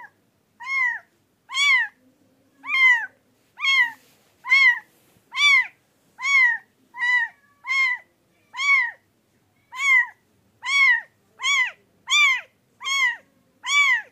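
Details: Pet cat giving a long series of short, arching, harmonic-rich calls, about seventeen in fourteen seconds, spaced roughly every second; each call rises then falls, with quiet gaps between and no other clear sounds.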